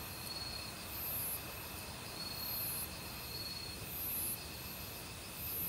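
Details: Autumn crickets in a forest, mixed with various other insects, calling over a rushing valley stream; high, shrill pulsed bursts return about every second and a half above steady thin ringing tones, with constant water noise underneath.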